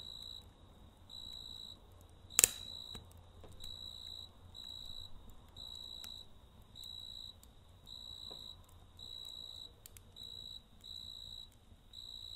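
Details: Night-time cricket calling by a campfire, even bursts of bright, ringing chirps at a regular quick pace, one loud crack of burning wood early on and faint fire crackle underneath.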